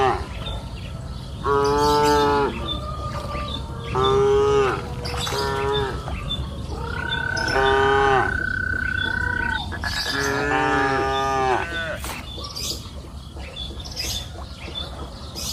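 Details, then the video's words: Cows mooing on a green pasture hill during the afternoon, a run of five or six rich, droning moos, some closely spaced, with a long even high tone in the middle and soft outdoor background hiss. "Sound of cows mooing up the green pasture hill in the afternoon"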